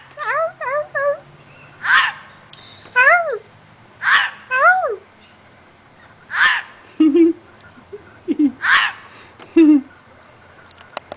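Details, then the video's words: Female gray fox barking at the filmer at nightfall, 5 18 09: rough, hoarse barks repeated roughly every two seconds, five or six in all, with a person talking softly between them. "The Gray Foxes Nightbarking"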